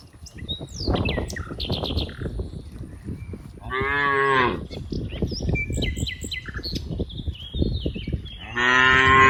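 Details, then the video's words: Cows, dozens of them, playing in green rice fields; two rich, rising moos at about four and nine seconds over steady rustling and crunching, with chirping birds overhead. "funny cow sounds, Moo cow sounds"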